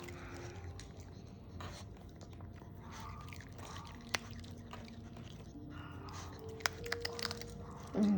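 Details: Quiet indoor room with soft chewing and crunching, faint background music and a few brief tones; no clear animal call is heard.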